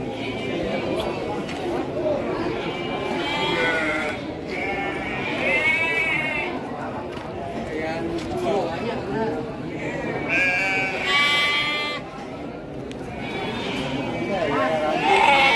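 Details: Garut sheep breeding stock at Andir livestock market, Bayongbong, Garut; several wavering, harmonic bleats rise and fall over constant crowd chatter and market noise.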